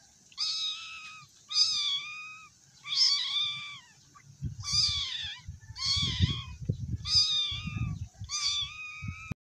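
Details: A frightened, hungry cat gives seven loud, wavering meows about once every 1.3 seconds, each bending up then down in pitch, with low thumping and handling noise beneath the later calls.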